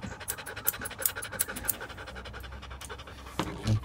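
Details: Standard poodle being groomed in a Paris grooming salon; rapid rhythmic panting breaths, several per second, with sharp snipping clicks of scissors and faint background sound.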